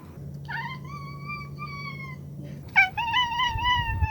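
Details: Pet cat indoors, from meows collected 16–22 October 2021: one long, steady, slightly falling meow, a short pause, then a second sustained meow that starts with a sharp rise and wavers gently before fading, over a faint room hum.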